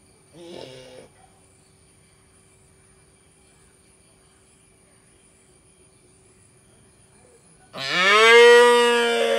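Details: Baby cow in Indian village life: a brief muffled grunt at the start, a long silence, then a loud harmonic moo starting near the end, rising and holding steady as the clip ends.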